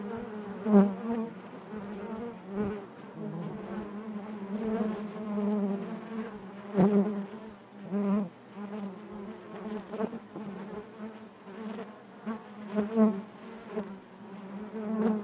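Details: Inside a honey bee hive, a dense droning hum of many bees with stacked harmonics, the loudness rising and falling irregularly, with short clicks and knocks scattered through.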